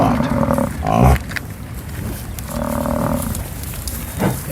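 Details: Bull American bison at Soda Butte Creek, a tributary of the Lamar in Yellowstone, give two deep, drawn-out rutting bellows a couple of seconds apart at the very start of the rut, near a herd with calves.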